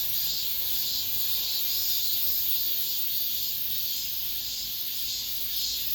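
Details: Cicadas singing in an apartment complex at the end of summer, the season's last cicada song: a dense, steady high buzzing chorus that swells and fades in soft pulses about twice a second, with a faint low hum beneath.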